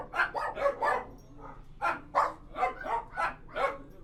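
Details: Dogs in a kennel interior give bursts of loud, rough barks, a quick run of four barks, a brief lull with a softer yap, then more spaced barks over a faint low hum.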